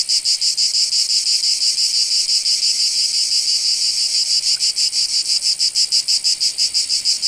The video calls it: Sound Effects - Nature ambience. Cicadas SFX 2.